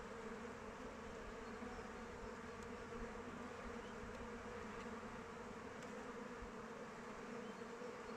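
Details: Continuous buzz of honey bees flying around their hive in open weather, a dense steady drone with a clear hum band, occasional soft clicks or taps, no other animals heard.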